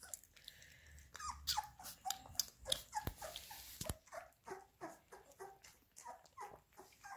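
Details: Labrador Retriever puppies being fed minced beef: a busy run of short, high squeaks and whimpers, several every second, over soft shuffling and eating noises.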